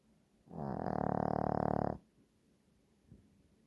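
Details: A sleeping Shih Tzu gives one rasping, buzzy snore of about one and a half seconds, with a faint softer breath afterwards.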